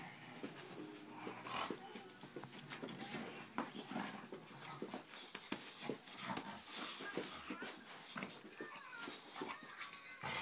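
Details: Dogue de Bordeaux puppy named Buddy, five months old, playing indoors in a small room; scuffling, panting and soft whimpering bursts throughout, with occasional human voices in the background.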